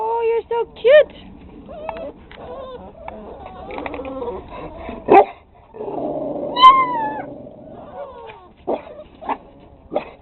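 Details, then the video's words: Six-week-old pit bull puppies yip and bark in short, high, squeaky bursts while a person coos over them. "Puppies Barking"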